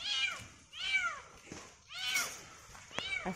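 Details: Stranded kitten on a tall, thin tree calls during its rescue: four drawn-out, bending meows about one second apart, each swelling and fading, over quiet background.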